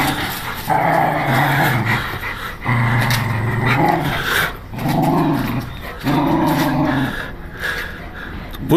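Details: Growling pit bull, described as angry: long low rumbles, some rising slightly in pitch, in four or five bursts with short gaps, and a few clicks and rustles between them.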